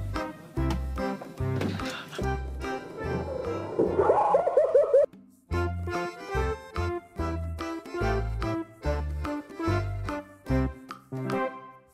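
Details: Bouncy, playful instrumental music with steady plucked and keyboard notes; no animal voice is heard.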